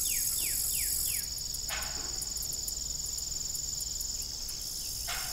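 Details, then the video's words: Cricket chorus on an evening farm by a disused windmill: continuous high trilling with rhythmic pulses above, four quick descending chirps at the start and two creaking bursts later. "Evening Cricket Sound"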